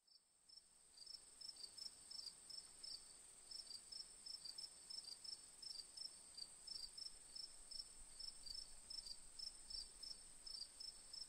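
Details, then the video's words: Crickets chirping: short, bright, high pulses, often in quick pairs, repeated about three times a second after a quiet start, over a steady shrill high-pitched hiss. "Relaxing Moon with Cricket Sounds"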